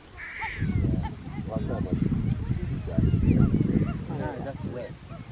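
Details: Several relaxed, unstressed geladas in the Simien Mountains, Ethiopia, keep up constant chatter at close range: quick overlapping bursts of deep grunts and nasal, wavering, almost speech-like sounds, busy and uneven, with a few higher squeals above the low chatter.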